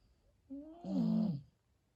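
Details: Sleeping husky named Smokes gives a single snore: a faint whine rising into a loud, buzzy, drawn-out rasp lasting about half a second, then quiet.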